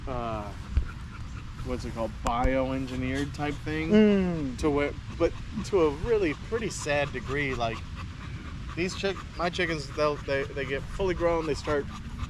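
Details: Staffordshire Bull Terriers, several males gathered in a park during the evening, trade dense wavering moans and whines, one long downward-sliding howl near the middle, with a low background rumble throughout.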